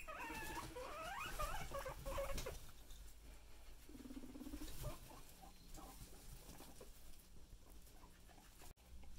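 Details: Guinea pigs at home, with Chip being bullied by another: a high voice speaks first, then a low buzzing purr-like rumble lasts about a second, followed by faint scattered pulses.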